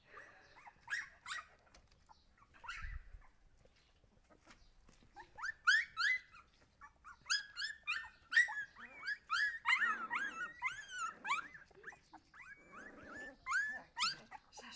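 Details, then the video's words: High squeaky yelps from Siberian Husky puppies start sparse, then crowd into a dense, overlapping chorus of rising and falling cries, with a low thump early on. "cachorros husky"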